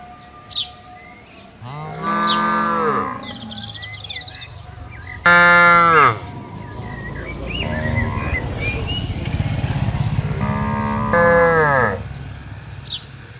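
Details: Tame cattle herd wandering and grazing over a spacious green garden; three separate moos, the middle one loudest and most nasal, each bending downward as it ends, with a low rumbling background and scattered small bird chirps.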